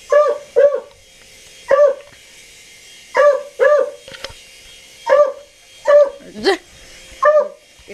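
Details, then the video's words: Domestic dog barking at a helicopter, giving about eleven short harmonic barks in pairs and singles across eight seconds, with one higher, squeakier yelp near the end and a quiet constant hum behind. "Dog Barks 4 Helicopter"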